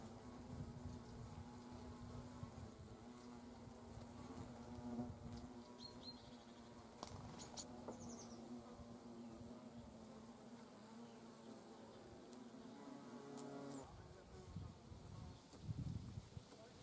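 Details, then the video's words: Hornets at their nest in autumn, when young queens and drones consume the food and brood is discarded; a sustained low buzz wavers and shifts in pitch late on, with a few sharp clicks and scraping taps. "Hornet - annihilation of autum brood. Hornissen - Vernichtung der Herbstbrut"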